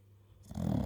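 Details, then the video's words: Pocket American Bully named Iżabela snoring soundly while asleep: a short rough low rumble swelling after a quiet start, broad harmonic buzz concentrated in low pitch. "American bully pocket sleeps and snores soundly. iŻabela chrapie"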